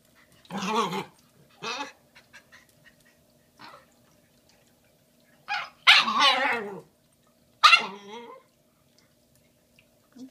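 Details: Bowie, a female Shiba Inu puppy a day short of five months, fussing over a big Valentine's Day bone she doesn't know what to do with: a few scattered yips, then louder wavering whining cries near the middle and end.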